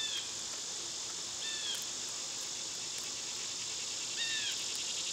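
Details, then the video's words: A steady, high, buzzing summer cicada chorus underlies three clear descending whistled bird notes and a few faint clicks. "Cicada sounds"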